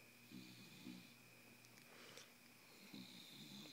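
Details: Bulldog Miss Piggy, awake, gives short raspy snoring breaths, two quick rattles early and another near the end, over a steady background hum.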